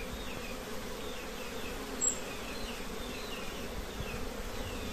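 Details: Buzzing of honey bees around a plain nest with many colonies, an even low drone that never breaks, with faint high twittering and one brief tick midway.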